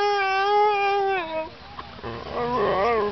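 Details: Saluki waiting for lure coursing gives a steady, drawn-out howl that breaks off after about one and a half seconds, followed by a quieter, rougher, wavering vocal sound.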